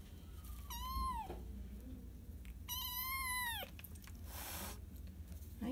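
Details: Cat meowing twice, each a drawn-out tonal cry rising then dropping at the end, about two seconds apart, with a brief noisy burst afterward and background music.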